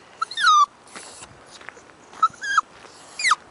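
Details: Toy poodle puppy, about six months old, female, out on a walk she dislikes on a nice day, giving high whining cries that slide downward, three short wails over a few seconds with faint rustling between.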